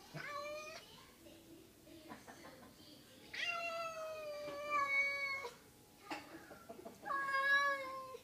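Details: House cat giving repeated meows indoors: a short meow, then two longer drawn-out meows with a wavering pitch and a final rising meow, with soft background rustling and faint voices.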